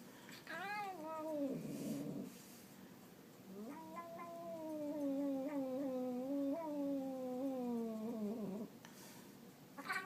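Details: Domestic cat making a funny noise: long drawn-out wavering yowl, low and nasal, sliding up and down in pitch, broken into two long howls with a short pause between, in a quiet room.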